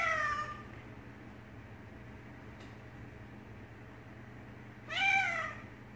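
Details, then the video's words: Pet cat reacting to meows coming from another recording: one meow at the start, a near-silent pause, then a loud rising-falling meow near the end. "Cat reacts to sounds from another YouTube cat video"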